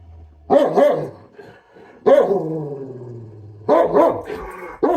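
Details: Pet dog throwing a temper tantrum over its food: loud, bending, yowling bark-whines in short bursts, two quick ones near the start, a longer one, then a doubled outburst and a final yelp.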